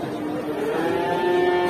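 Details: Enraged cow on a rampage through a market, being led by a cattle handler: one drawn-out, low moo rising slightly in pitch over under two seconds, against crowd noise and a steady droning background.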